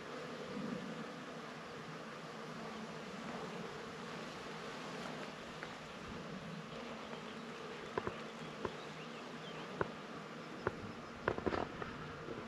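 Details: Bees among flowers: a steady low humming buzz runs throughout, with a few sharp clicks and ticks near the end.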